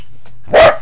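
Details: Pembroke Welsh Corgi crawling low under a bed, giving one short, loud, sharp bark after a brief quiet moment, with faint voices before it.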